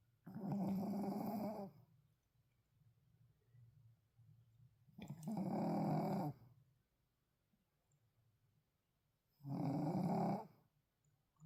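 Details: A tired Shih Tzu sleeps and snores deeply, rough, buzzy, rumbling breaths over a second long coming in slow, steady pulses about every four to five seconds, with quiet breathing between them.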